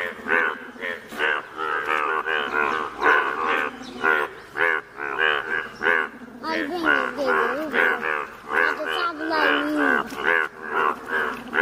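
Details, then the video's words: Dense Indian bullfrog chorus from Malkangiri district, Odisha, where bright yellow frogs gather: loud, bleating, harmonic croaks overlap almost continuously, some with wavering, sliding tones, rising and falling in loudness. "Rare Yellow Frog's Wonderful Indian Bullfrogs Video ||Frog's Sounds"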